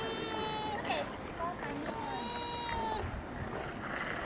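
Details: Sika deer (Cervus nippon) at Nara Park, Japan, giving thin, high squeaks, each a steady tone that bends slightly at the end.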